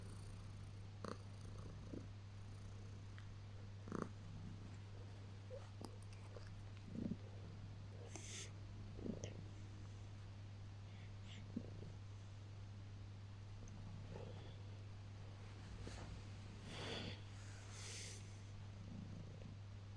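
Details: Pet cat, Heliana, purring through early morning cuddles after waking: an even low hum runs throughout, broken by scattered soft clicks and rustles of movement.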